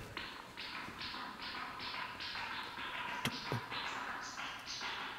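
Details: A bat's echolocation, made audible by a bat detector, comes through as a steady run of dry, ticking pulses while it hunts insects; a catch may be audible.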